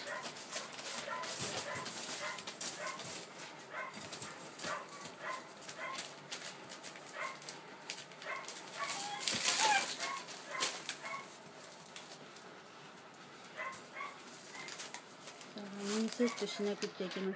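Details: Collie puppies aged 81 and 94 days, filmed 20 August 2013, giving short yapping barks and whimpers in irregular bursts, with people talking and handling noises throughout.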